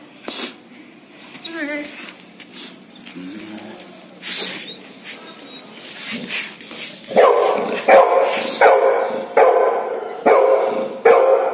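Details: Golden retriever starting a steady series of strong barks after quieter talk and rustling, each bark sharp and full, repeated a little under once a second until the end, voices nearby.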